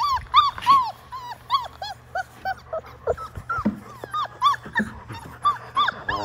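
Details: Six Labrador Retriever puppies, five weeks old, in the baby pool where they were born, now filled with water; a steady run of arched whimpers and yips, about three per second, with splashing and rustling between.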